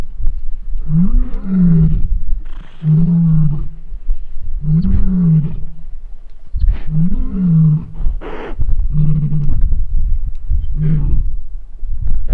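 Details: A lion (Panthera leo) roaring at a waterhole in Etosha, Africa, gives a series of deep, moaning grunts, one roughly every two seconds.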